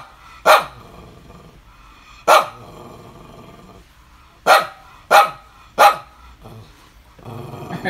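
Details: Pet dog barking in the morning, 5 July 2019: five loud, harsh barks at irregular intervals, two close together near the end, followed by a low growly rumble.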